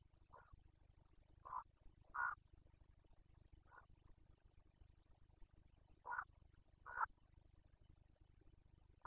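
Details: Carpathian red deer stag roaring (boncănit) during the 2021 breeding season in Bucovina: short, hoarse grunting bursts at irregular intervals, some close together in pairs, over a steady low background hum.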